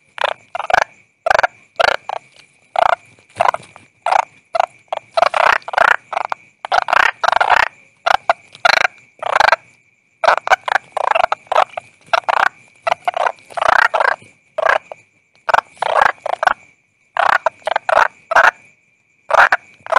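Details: Toad calling in a run of short, rough, croaking bursts, each under a second, repeated in quick irregular groups with brief silent gaps between them.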